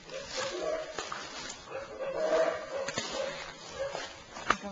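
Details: Howler monkeys in Belize, recorded May 21, roar in deep, breathy, rasping surges that rise and fade in a continuous chorus.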